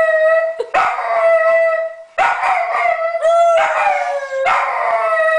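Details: Pet Dachshund Merlin in a howling contest, holding long steady howls on one pitch, three sustained notes separated by brief breaks, each ending with a slight wavering slide.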